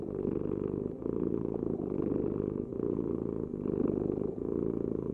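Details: Domestic cat purring: a steady low rumbling vibration that swells and fades with each breath, about every two seconds, with no other clear sounds.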